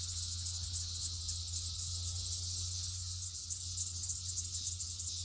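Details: Red-eyed cicadas massing by the million on rural land in 2021, a tree crowded with them; dense, loud, shrill buzzing hum, unbroken, over a low background rumble.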